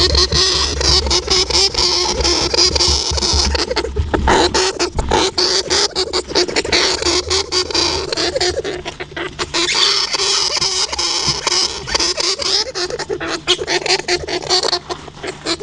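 A hamster makes rapid, dry clicking and scratchy rustling noises with faint high squeaks throughout.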